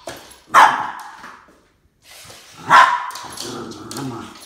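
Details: Boston Terrier Max barking during a standoff with a snake, two strong harsh barks about two seconds apart, with a low voice murmuring afterward.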